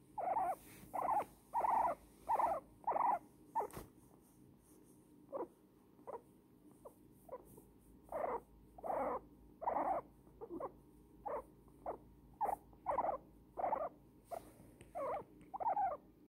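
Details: Snuggled in a blanket, elderly female guinea pig Pumpernickle squeaks contentedly. Loud repeated squeaks open, then softer short chirps, then loud squeaks return, roughly one and a half per second.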